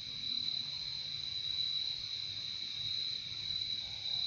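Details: Nature sound of crickets: an unbroken, high, buzzy shimmer from a chorus of insects, softly pulsing over a few seconds with a faint low background hum.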